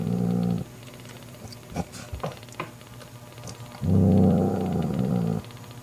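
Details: Domestic mother cat Mocha guarding her newborn kitten from jealous sister Kofi: two steady low rumbling growls, the second about a second and a half long, separated by soft clicks and shuffling.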